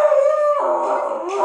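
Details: A husky "sings" along to the song Dark Horse, howling in a sustained, wavering tone that slides upward midway.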